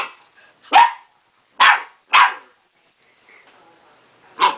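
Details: Young pet dog barking at its own reflection in a mirror, apparently taking it for another dog; four sharp, loud barks in uneven bursts with quiet gaps between.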